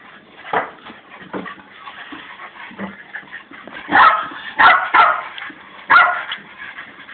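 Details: Noi, a pet Fox Terrier, waits for a door to be opened and gives soft whimpers, then a run of loud, short, strained yelping barks in quick bursts roughly every second near the end.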